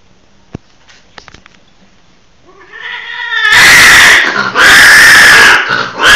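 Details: A hybrid of a Sumatran wild leopard cat and a domestic cat, whose offspring later mated with a Bengal, starts with soft rising mews, then gives loud, harsh, sustained yowls: two long wailing calls with a brief gap, the second cut short.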